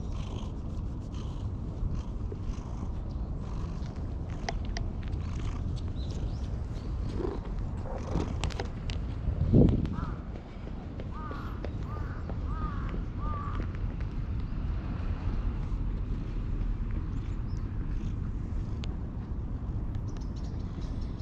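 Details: Jet-black stray cat that followed a person and climbed onto their lap, appealing for something in cat language, recorded on a GoPro: steady low purring rumble, a brief louder thump midway, and a few faint short mews toward the end.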